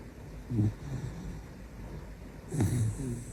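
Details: Shiba Inu named Kobe snoring at midnight, loud enough to wake its owner; two low, rumbling snorting breaths about two seconds apart, each with a rough rattle, over a steady indoor hum.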